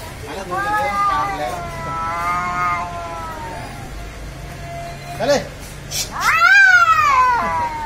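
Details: Cats fighting: long drawn, harmonic yowling wails rising and falling over several seconds, a short sharp cry near the middle, then a loud rising-falling screech at the end, with faint background hum.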